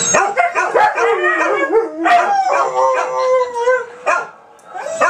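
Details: Several dogs howl together on the 4th of July 2012: overlapping, wavering howls that rise and fall and slide between pitches, with short yips breaking in. A brief pause comes near the end before another voice starts.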